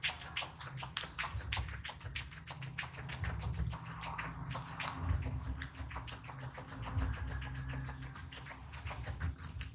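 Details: Small guinea pig eating, recorded close up: dense crunchy chewing clicks in quick irregular bursts over a steady low hum.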